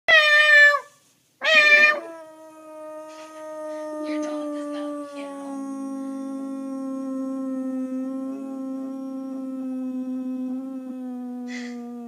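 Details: A dog gives one long, steady, mournful howl of about ten seconds, sinking slowly at the end, answering two brief, bright meow-like cries; the dog seems to hate the meowing sound.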